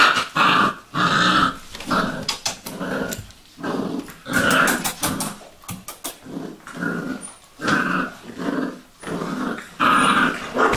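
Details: Vizsla puppies, Sejla litter, indoors: repeated short growling and whimpering bursts with harmonics, about eighty a minute in uneven clusters, alternating with brief quiet gaps and some thumping of play.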